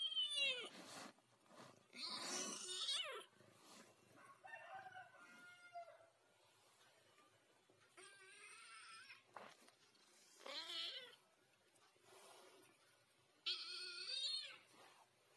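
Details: Chatty ginger cat producing a series of varied meows over fifteen seconds: short chirpy calls, a longer wavering yowl and several sharp rising meows, spaced by brief pauses in a quiet room.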